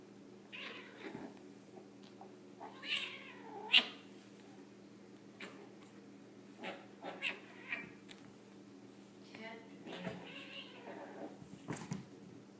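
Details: British Shorthair and Scottish Fold cats playing together indoors; several short, rising-and-falling meows spaced a few seconds apart, with soft thumps and scuffling between them over a steady low hum.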